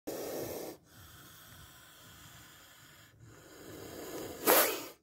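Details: Spectacled cobra hissing in a close encounter with a bite caught on camera: a sharp, breathy burst of broadband hiss near the end, after softer breathy noise at the start and quiet background.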